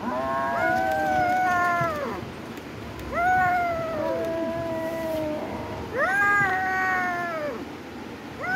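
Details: Cat giving three long, plaintive meows, each rising then gently falling and lasting about two seconds, spaced roughly three seconds apart in a quiet room.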